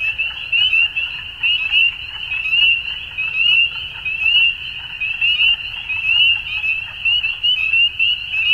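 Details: At dusk a crowd of frogs keeps up a shrill, steady chorus, its volume rising and falling about once a second in loose, uneven pulses over a quiet low background.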